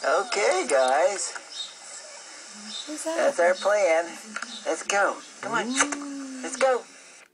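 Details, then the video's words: A 1-year-old male Alaskan Malamute, indoors, howls at dogs on a show being watched online: a string of loud, wavering howls and yodelling woos, one ending in a long steady note. "Alaskan Malamute Nanook howling at dog on tv! Very loud & f"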